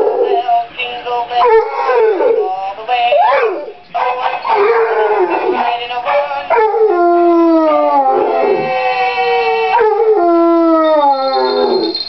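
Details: A Basset Hound howls along to Jingle Bells in long, wavering, sliding tones over the played tune.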